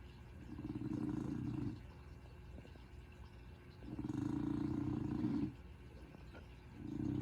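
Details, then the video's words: Willow, a very relaxed, overweight female dog, snores while asleep: low, rumbling drawn-out snores lasting over a second each, with quiet pauses between them, in a still indoor setting. "Willow Snoring"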